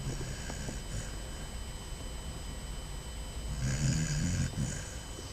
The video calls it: Basset Hound puppy snoring